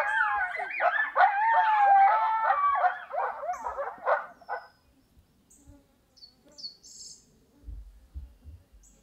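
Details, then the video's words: Howling coyote pup answering a predator call, with an adult charging in: chaotic yipping howls for about four seconds, then fading out into quiet with faint insect buzz and a few soft rustles. "Vocal Coyote Pup"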